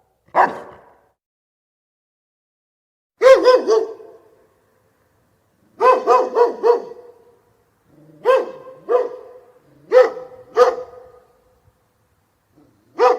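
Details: A single dog gives clear, resonant barks in clusters of two or three separated by silent pauses of one to two seconds, with no other sounds.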